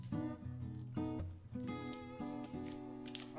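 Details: Soft acoustic guitar plucking a short melody of a few notes per second, with no animal sound.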